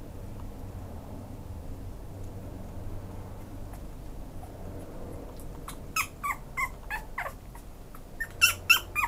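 A Pomeranian breaks a quiet room hush with a quick series of short, high, squeaky yips.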